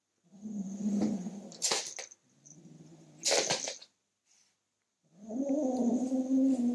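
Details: Male kitten growling while guarding his toy as someone tries to take it: three sustained, low rumbling growls, the last rich and steady, broken by sharp scraping and handling noises between them.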